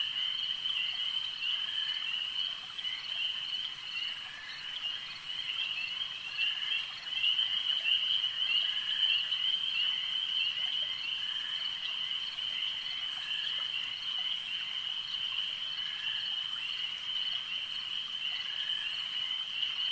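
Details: Frogs calling at a lake: a dense, unbroken chorus of high, trilling pulses holding one steady pitch, many voices overlapping and swelling slightly midway, with no other clear sounds.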